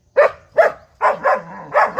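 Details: German Shepherd puppy, five months old, barking while being coaxed to fetch its ball indoors; two short yaps followed by three longer, rougher barks with a faint whine between them, and laughter and Bengali speech around.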